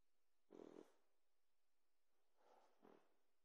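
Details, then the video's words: Boxer puppy asleep indoors, snoring habitually: one rough breathy snore, then two softer shorter snorts a few seconds later, in a quiet room. "Boxer puppy snores like a champ!"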